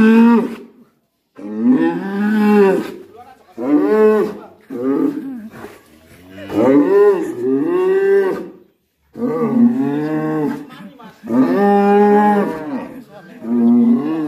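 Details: Raging black bull in its pen, loudly mooing: a run of six long, drawn-out harmonic bellows, each swelling and bending in pitch, separated by brief pauses, with faint voices between calls.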